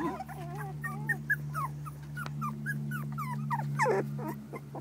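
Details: Terrier puppies, four weeks old, from the Maeve litter, make scattered soft squeaky whines and short rising peeps over a loud steady low hum.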